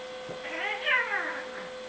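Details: Bengal cat Fiona during a vicious cat fight, giving a drawn-out, wavering yowl that rises and falls over under two seconds, with a steady electrical hum in the background.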